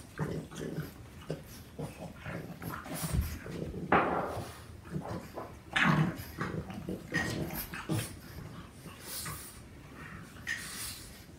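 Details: Two Boston Terriers at play, a 4-month-old puppy wrestling, nipping and tugging at a patient 4-year-old adult; scattered short growls, snorts and whimpers rise in bursts over scuffling, with a person speaking briefly.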